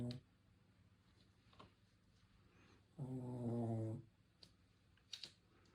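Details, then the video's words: Asleep, a Shih Tzu lets out one long, rumbling snore lasting about a second with a rich buzzy tone, followed by faint sniffs and quiet room noise. "코골이 하는 시츄"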